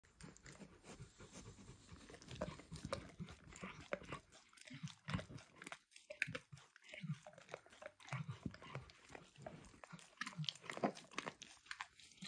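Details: Dog named Emperor Max licking a bumpy orange mat smeared with food, from eggs to diluted peanut oil; wet, smacking licks in rapid irregular bursts with short quiet gaps, close and intimate, no talking.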